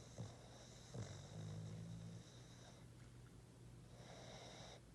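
A Boston terrier snores with a low, droning rumble and soft snorty breaths.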